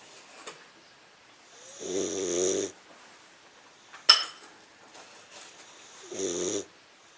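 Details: Sleeping 15-week-old English Mastiff puppy, Crush, snores in a quiet room: two drawn-out buzzy, throaty snores roughly four seconds apart, with a brief sharp snort or click between them.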